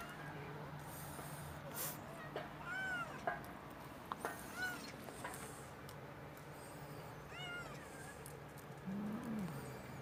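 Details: Stray street cats meowing: a few short, arched meows that rise and fall, spaced a couple of seconds apart, with a lower, drawn-out meow near the end, over a steady low hum.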